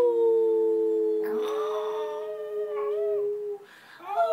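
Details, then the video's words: Pomeranian howling during a training session, its first try; one long level howl held for over three seconds, with a wavering higher voice overlapping midway, then a short rising yelp. "Howling Pomeranian"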